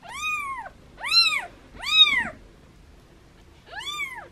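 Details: Foster kittens, cared for by their mother cat, meowing playfully while held in hands: four high, arching, harmonic-rich meows, three close together and a fourth after a pause, in a quiet setting.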